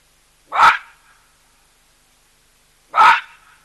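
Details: Baboons calling loudly at a drinking place shared with a skittish cheetah and an elephant: two harsh, explosive barks about two and a half seconds apart, with silence between and a short fading tail after each.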